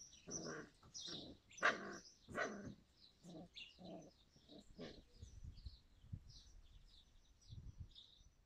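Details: Yakutian Laika in July 2020, barking in a quick irregular run of short harsh barks over the first five seconds, then quieter thumps, with birds chirping high in the background.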